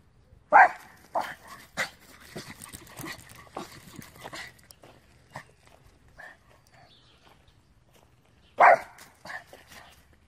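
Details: Small male Terrier-Pug mix from Romania, furious at a squirrel and unable to calm down; sharp, loud barks open and end the stretch, with a run of smaller yaps and huffs between them.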